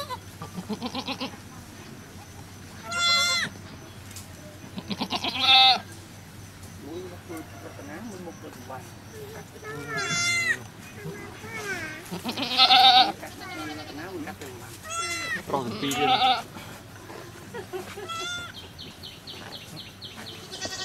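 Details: Goat giving birth on a cow farm: scattered high, shaky bleats roughly every two to three seconds over a murmur of Thai-speaking voices and farm background.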